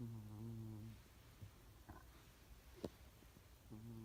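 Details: Cat snoring: two short low buzzy snores, one at the start and one at the end, with faint clicks and rustles between them in a quiet room.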